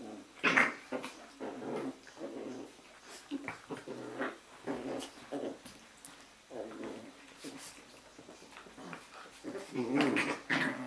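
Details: Jack Russell Terrier puppies, litter A, at play one evening in their kennel: scrappy, throaty growls and squeaky yips tumble over each other in uneven bursts, with louder snarling peaks at the start and end.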